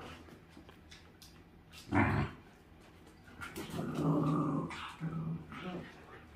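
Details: Welsh Corgi with herding-dog instinct playing with a dachshund indoors: a brief gruff bark-like burst, then a sustained low growl lasting about a second and a shorter growl after it, over soft background noise.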